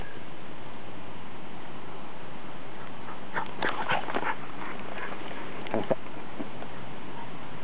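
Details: A Miniature Schnauzer in a rainy wood on 3 July 2009 gives a quick cluster of short, sharp barks over steady rain.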